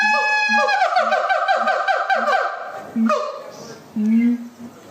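A siamang gives loud, ringing, swooping whoops over deep, regular booming pulses, followed by a spoken word.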